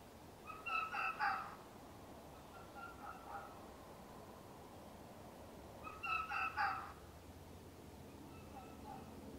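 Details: A red fox gives short bursts of hoarse, quickly repeated barks, with long pauses between bursts, at night in the early morning hours of early winter.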